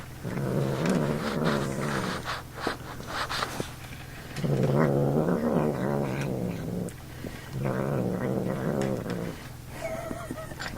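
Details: An indoor house cat grumbles while eating. He hates being handled or picked up, and at times resembles a little snorting piglet. Three long, low, harmonic growling moans come with pauses between them, mixed with small clicks and eating sounds.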